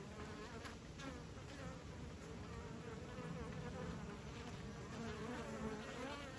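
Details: Beekeepers' bees hum in a thick, wavering drone, many wings blending into one layered buzz that swells gently toward the end.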